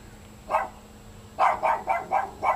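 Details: A Great Dane hiding under a house in Compton, California, reportedly frightening children and possibly abandoned on the street, gives a single bark, then a quick run of five harsh barks.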